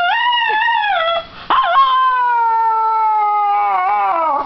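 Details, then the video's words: A dog crying in long, sustained tonal wails with rich harmonics, the first wavering and falling, then a brief break and a steady, slowly descending drawn-out cry. "My Dog Gismo Crying!!"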